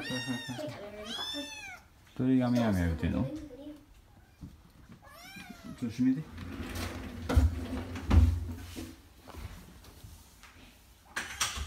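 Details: Kitten named Oiro, practising going down indoor stairs, utters two quick falling meows, a loud human voice breaks in, then one more short meow follows amid thuds and household rustling.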